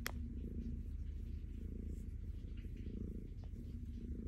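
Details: Purring from a petted calico cat named Stella, who looks happy: a dense low rumble with rhythmic breath swells, opening with a short sharp click.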